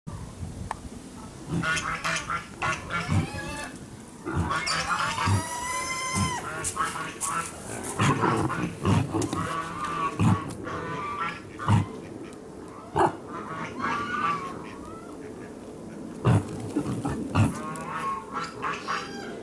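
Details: Collared peccary at Saitama Children's Zoo in Japan, giving a busy series of harmonic squeals, grunts and short rising cries, some strong and some brief, with sharp knocks and low background murmur between them.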